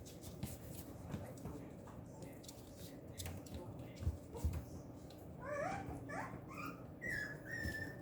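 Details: Female Papillon puppy on the morning of August 28, quiet background noise for five seconds, then a run of thin, high whimpers that rise and fall, ending in a longer drawn-out whine.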